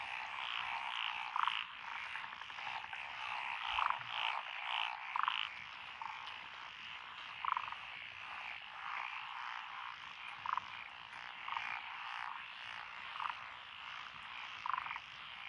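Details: Frogs calling in lotus rice paddies along a country road in Echizen, Fukui, Japan, June 12, 2021, a chorus including Japanese tree frogs and Schlegel's green tree frogs: dense rattling croaks, with louder clicking notes every one to three seconds.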